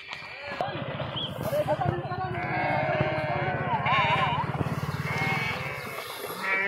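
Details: Sheep swimming in a river with young goats; a few nasal, trembling bleats, one with a wobbling pitch, ride over a steady low throbbing hum and nearby speech.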